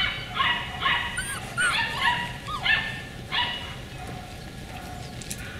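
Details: Beagle puppies from the Camo and Buddy litter, 4/27/20, producing about five quick yipping, whining bursts with bending pitch, then quieter, against a constant low background hum.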